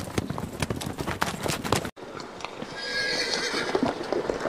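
A horse's hooves strike the ground in a quick, sharp clip-clop rhythm, then a steadier hiss takes over.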